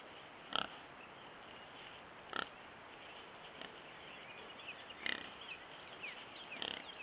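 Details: Wild pig piglets, the first litter of the year, give short harsh squeals in bursts every second or two, some louder and some softer, with faint high chirps and a constant background hiss.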